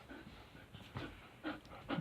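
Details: Riley, a male pet dog, pants indoors while being told to back up. Soft, breathy bursts come roughly every half second, with a louder huff near the end and quiet room noise between.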